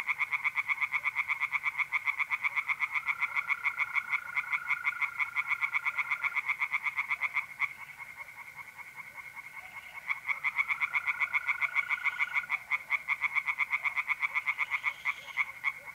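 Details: Tree frogs sing in a pond through a mid-April night in north-east Italy, a continuous rattling pulse chorus at about four beats per second, with mole crickets giving two long, even trills and the chorus briefly softening midway.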